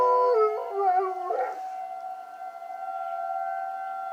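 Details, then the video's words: Coach, a pet dog, howls along with a tornado siren. A short, quavering howl dips and wobbles, then fades after about a second and a half. The siren's steady tone carries on alone. "My dog howling at tornado siren"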